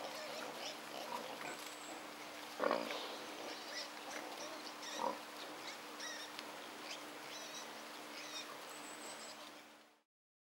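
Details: A wild boar (Sus scrofa) with piglets gives two short, harsh grunting squeals while small birds chirp in the background.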